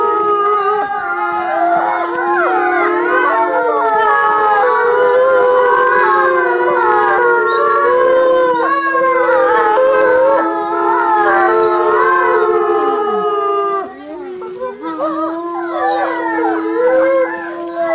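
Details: Several timber wolves at Asahiyama Zoo, Japan, howl together in long, overlapping, wavering tones that rise and fall.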